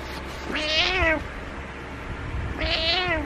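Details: Pet cat meowing to get its owner to wake up: two drawn-out, harmonic meows, each rising then falling, about two seconds apart, with a quiet indoor background.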